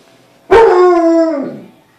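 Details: Pet dog Bruce Wayne howls at his own reflection in the glass of a closet door indoors; a single loud, tonal howl lasting about a second, starting strong and holding steady before fading away.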